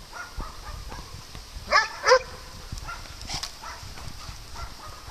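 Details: Dogs at play on a farm, where cats also live: two sharp, loud barks in quick succession stand out from faint scattered yips and a quiet rural background.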